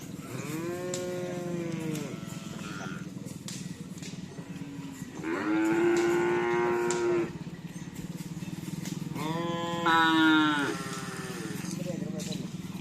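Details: Cattle at morning bull race (karapan sapi) training on Asemanis field, Pamekasan, ahead of an anniversary event; three loud, drawn-out harmonic moos, each one to two seconds long, over a steady low hum and faint background noise.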